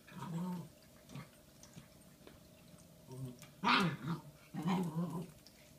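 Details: Shiba Inu puppy Bowie, a female one day short of five months old, indoors on Valentine's Day, February 14, 2016, with a giant bone gift; low grumbling growls and short harmonic whines in bursts, strongest toward the end.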